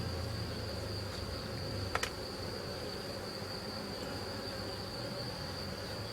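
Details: Honey bees from a small drone-laying colony hum steadily as a frame is about to be lifted out during the rescue; a deep continuous buzz, a thin high whine, and a short double knock around two seconds.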